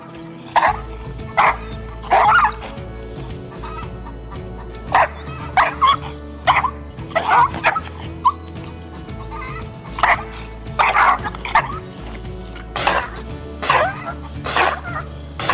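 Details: A nine-month-old Belgian Malinois, aggressive at first, barks in sharp, uneven bursts roughly once a second over background music during a trainer's behaviour evaluation test.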